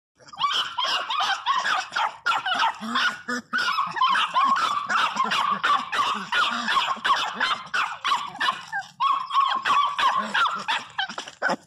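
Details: Pinscher named Teco crying very loudly, one of several pet dogs: dense run of high, wavering whines and yelps repeated about three times a second, almost without pause, ending near a woman's voice.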